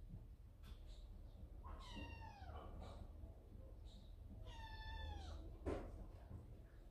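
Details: Yard-kept cats, with a kitten frightened by another cat appearing at the door, recorded by a camera set by the entrance; two drawn-out, falling meows about three seconds apart over a steady low hum, then a brief knock.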